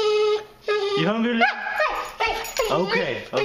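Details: Boxer female on a strict diet, whining at feeding time while her food soaks; high, wavering whines that rise and fall, mixed with a man's voice talking to her.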